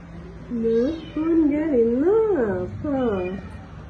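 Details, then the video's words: Feeding time for stray kittens and cats at home; long, wavering meows that rise and dip in pitch, three drawn-out calls in close succession, clear and loud over a quiet room. "Feed cats and kittens meowing"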